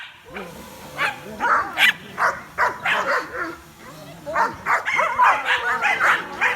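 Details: Several curious dogs react to a drone flying overhead, barking excitedly; overlapping yappy barks and yelps come in uneven bursts, several voices crowding together.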